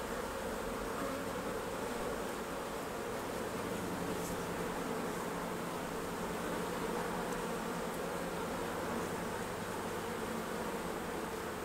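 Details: Honey bees swarming around hives at harvest time, their massed wingbeats forming an unbroken, fairly loud hum for the whole stretch, with only faint light ticks.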